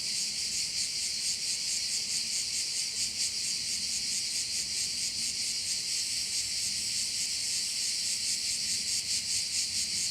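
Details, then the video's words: Continuous cricket chorus over a bay in Korčula, a bright hissing trill high in pitch, throbbing in quick regular beats for the whole stretch, some waves of loudness drifting through, low background murmur beneath. "view of one of the bays in Korcula with sounds of crickets"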